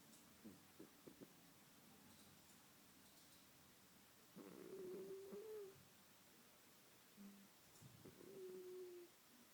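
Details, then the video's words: Domestic cat asleep and snoring, with quiet breathy inhalations and a thin whistling tone on some breaths, about every four seconds, with soft ticks early on. "My cat, sleeping and snoring"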